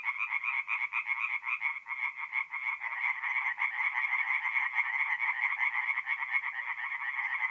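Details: Night chorus of tree frogs from a forest pond in north-east Italy, mid-April; fast, nasal croaking pulses stack into a continuous throbbing rattle, several frogs calling at once.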